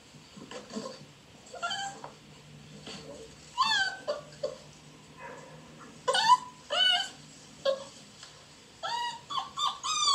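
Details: Beagle puppies, some outside wanting attention and others play fighting in a dog house, give short high yips and squeaky whimpers in scattered bursts, several rapid clusters near the end.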